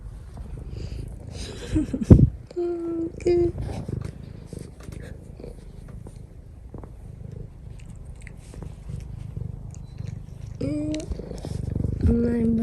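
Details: Affectionate house cat purring as it kneads on its owner's lap; low rumbling purr underneath, interrupted by a woman's soft speaking voice several times and occasional rustling.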